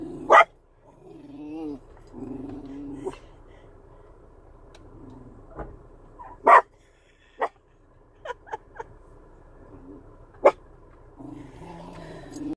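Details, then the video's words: A chocolate Cocker Spaniel growls low and rumbling at wiper blades, breaking into a few sharp barks. "Chocolate cocker spaniel growls at wiper blades."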